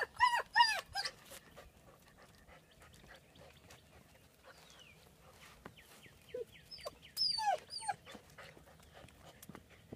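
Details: Ten-week-old male AKC German Shepherd puppies at a kennel, playing with IQ games: a burst of high, harmonic whimpering yelps in the first second, then a quiet stretch, then a run of quick squeaky cries near the end.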